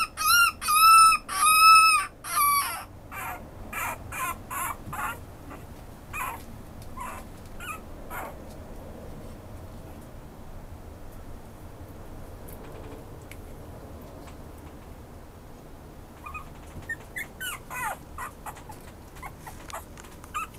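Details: Pomeranian-Chihuahua mix dog letting out a few loud, drawn-out high whines at the start, followed by scattered faint yips and long quiet stretches.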